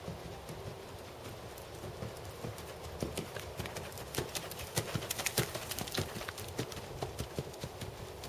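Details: Hoofbeats of a black seven-year-old Percheron/Thoroughbred gelding schooling dressage at 2nd Level: soft, irregular clip-clop thuds about a hundred per minute, growing louder and sharper after the third second over a steady background hiss.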